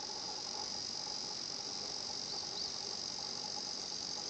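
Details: Higurashi cicada song at the 新発地庵 nature spot: an even, piercing high drone fills the short stretch, with a couple of quick rising chirps near the middle and little other sound.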